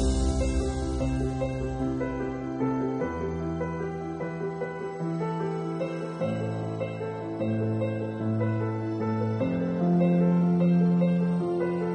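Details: Gentle harp-like instrumental music with steady sustained tones and shifting chords throughout; no snorting, rooting or other animal sounds.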